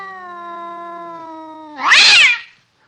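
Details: Angry domestic cat: a steady, low, droning yowl with strong even overtones holds for nearly two seconds, then breaks into a loud, harsh, noisy hiss or spit that fades quickly.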